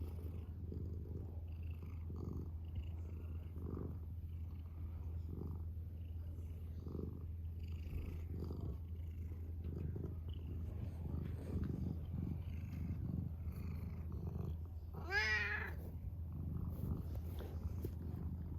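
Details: Male pet cat purring in a deep, even drone throughout, rising and falling with its breathing, with a brief higher wavering voice near the end.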